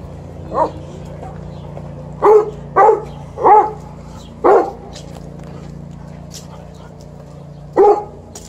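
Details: Alaskan Malamute Liza sniffs her little sister back from riding and gives short, hoarse barks, a lone one and then a quick run of four, with people's voices nearby.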